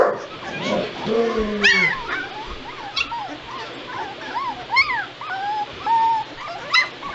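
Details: Litter of two-week-old White Shepherd puppies whimpering: thin, arched whines rising and falling, several overlapping from different pups, with a brief low murmur near the start.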